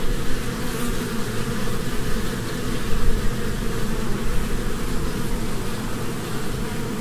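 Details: Busy honeybees gathering among spring blossoms: a loud, steady low-pitched buzz with slight flutter, staying constant for seven seconds with a brief louder moment near the middle.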